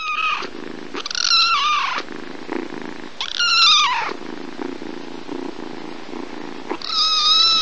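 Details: Domestic cats from a compilation of cats and kittens, each with its own voice: a few drawn-out meows with bending harmonics, separated by gaps with softer low rustling and room noise between calls.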